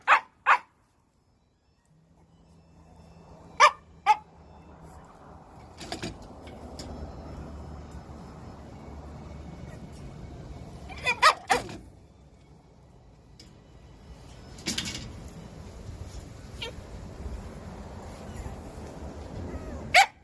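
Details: Round-bodied Shiba Inu dog giving a few short, sharp barks and yips, scattered singly and in pairs across twenty seconds over a steady low indoor hum.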